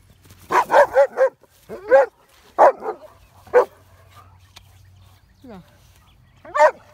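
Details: Pet dog barking at a horse outdoors, short sharp barks in a quick burst of four, then two more spaced barks, with a person's voice calling over them and a low background hum.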